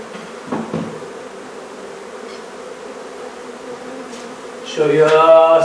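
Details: Honey bees in a hive being removed from a barn in La Feria, Texas: a steady low droning hum throughout, with a couple of knocks early on and a louder tonal whine rising over the buzz near the end.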